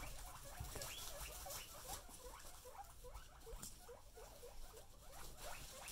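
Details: Teased pet guinea pigs utter a steady chatter of short, downward-curving squeaks, several per second, over soft rustling and low household hum.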